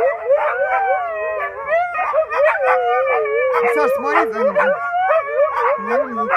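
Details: Pet Siberian Husky giving a long, continuous wavering howl-like vocalisation: harmonic tones bending up and down, with sliding whines rising and falling throughout and no pauses.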